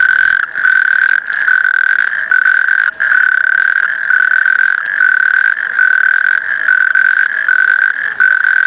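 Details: Loud natterjack toad trilling, a harsh buzzing rattle on one pitch, delivered in bursts of roughly half a second to a second with short pauses, about ten bursts in sequence.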